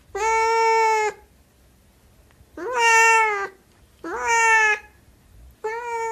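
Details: Siamese cat meowing loudly, four long harmonic-rich wails about a second each, separated by gaps of a second or more, each starting with a slight rise and holding a steady nasal pitch.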